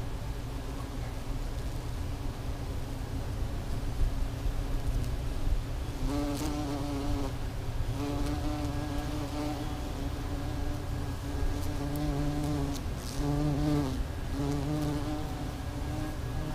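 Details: A tree holds hundreds of bees in spring. Their massed low drone runs without pause, and passing bees add several rising and falling nasal buzzes partway through.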